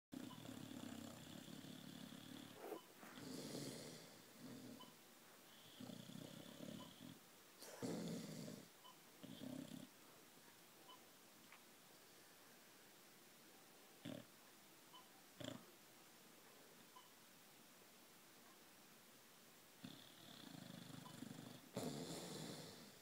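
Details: Sleeping Boxer dog snoring and twitching, with rough, breathy snores in bursts of one to two seconds, each separated by short pauses, plus a few sharp clicks and rustles between them.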